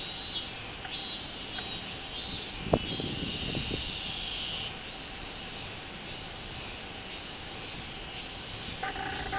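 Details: Minmin-zemi, the robust cicada, on 24 July 2016: rapid high buzzy pulses at first, settling into a sustained droning whine, with a single sharp knock partway through.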